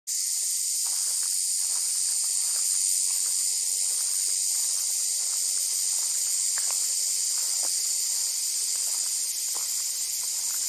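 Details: On a hot summer day in the Australian bush, cicadas keep up a steady, high, shrill hiss without pause, while a few faint clicks and chirps sound beneath it.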